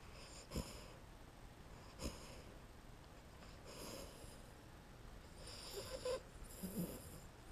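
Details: Sleeping two-month-old Amstaff puppy dreaming on a lap in a small room. Several soft, wheezy, snorting breaths and faint squeaky whimpers come in irregular bursts, with quiet gaps between them.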